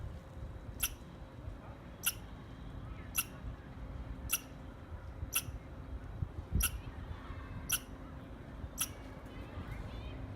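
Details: Eight abrupt, high clicky squirrel chirps, one about every second, over a low droning background with a faint steady hum.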